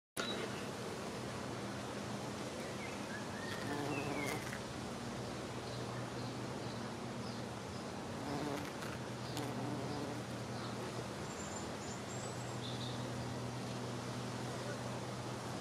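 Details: Bumblebee busy collecting from foxgloves; a steady low droning buzz of wings with slight shifts in pitch as it moves, over outdoor background hiss and faint bird chirps.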